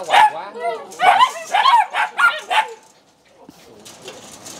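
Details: Belgian Malinois at a kennel in Ho Chi Minh City, Vietnam, where a female has whelped ten puppies; five sharp, harmonic barks in quick irregular succession over nearly three seconds, then quiet with faint rustling.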